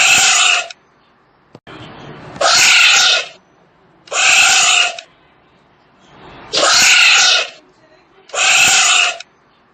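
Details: Tapir calling with a series of five piercing, buzzy squeals, each close to a second long, repeated every two seconds or so with quiet breathy sounds between them.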